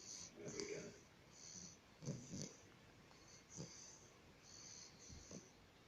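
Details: Bulldog snoring: breathy, wheezing bursts with a rough low rumble and airy hiss, arriving in uneven pulses about every second and a half, with quiet pauses between breaths.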